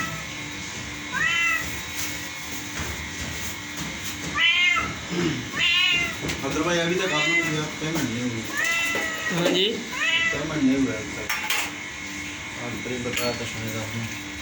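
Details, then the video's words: Singing house cat giving a run of repeated meows, some short and chirpy, others drawn out and wavering. Near the middle, the calls become more rapid and strained. A human voice is also heard in the background. "Cat Sing a Song"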